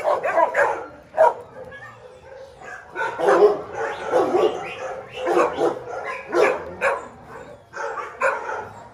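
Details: Small dogs yapping in quick, irregular bursts of sharp mid-pitched barks, several overlapping, with a brief exclamation between them.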